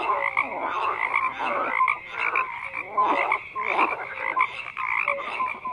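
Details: Frogs croaking en masse, coarse rattling calls swelling and fading every second or so, punctuated by brief piping notes, with an unbroken trill of distant callers underneath.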